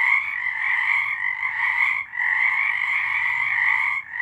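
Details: Many frogs calling together in March 2023. A thick, unbroken wall of trilling croaks pauses briefly near two seconds and again at the end.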